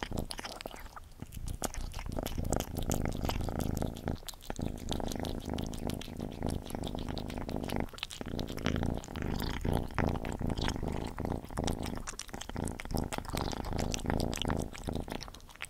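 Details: Gordy the cat eating, recorded close up: steady wet chewing and smacking clicks run throughout, with short pauses near four, eight and twelve seconds, over a soft low rumble.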